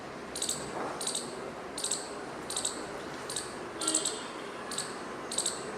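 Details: Squirrel calling with short, sharp, high-pitched chips, about seven in under six seconds, each a brief bright burst at uneven gaps, over a steady low background hiss.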